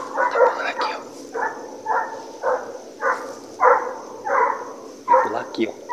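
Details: Hunting pack of American Foxhounds, including Torque and Panda, trailing deer: steady, rhythmic ringing bays about every half second, with a man's voice urging the dogs on over the chorus.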